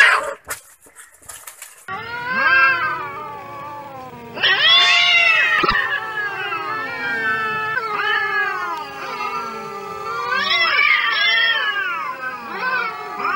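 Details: Stray cats fighting angrily on the street, after a short noisy start several overlapping long yowling caterwauls that swell, waver and slide down, two cats answering each other with loud rising wails.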